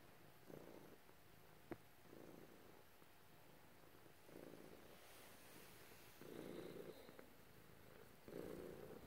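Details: Domestic cat purring while being petted by its owner, one of two house cats, a black one and a grey one; soft low rumbling bursts swell and fade roughly every two seconds, with a faint click from handling.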